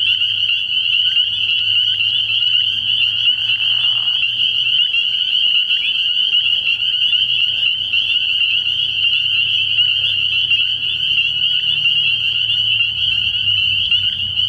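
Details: Night chorus of many spring peepers at a frog pond in early spring, forming a steady piercing high whistle-like wall of peeps that never pauses, with a faint low hum beneath.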